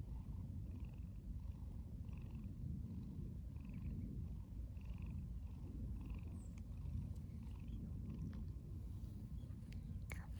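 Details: Stray tabby cat, wary at first and then affectionate, purring steadily; a low continuous rumble pulsing about twice a second, with faint clicks and rustling late on.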